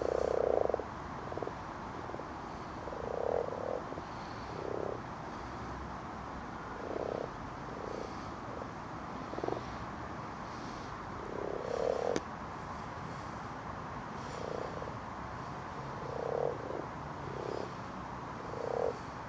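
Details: Night chorus of common frogs (Rana temporaria) spawning in a garden pond under torchlight: short, low, grunting croaks repeated irregularly from multiple animals, a single sharp click near the middle, steady hiss beneath.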